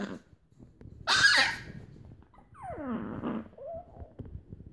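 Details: A male Chihuahua puppy, eager to play with moody female littermates, gives a sharp yelp, then a falling whine and a brief squeak, coaxing a playmate.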